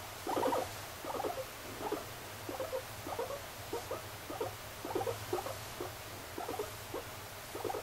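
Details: Softer repeated bursts of mid-pitched chattering come from pet guinea pig Moru-chan. The first is loudest, and the rest fade to quieter groups spaced unevenly across the recording, with a steady low hum behind.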